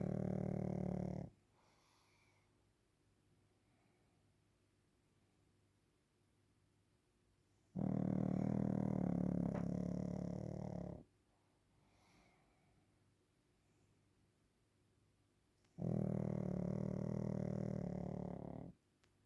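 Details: A sleeping Pekingese named Waffle snores while napping, three low, grating, buzzy snores of about three seconds each, spaced roughly seven seconds apart, with quiet breathing pauses between.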